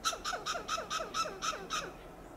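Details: Loud, staccato clucking alarm from a western gray squirrel on a coast live oak in Del Monte Forest, California. Eight harsh, raspy pulses follow quickly and evenly, about four per second, then stop.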